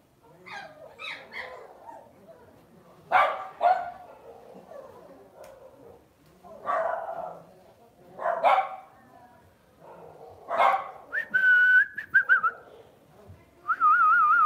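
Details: Pet Lhasa Apso at home barking in sharp, short bursts, single yaps and quick doubles spaced a couple of seconds apart. Toward the end come high, drawn-out whining tones between the barks.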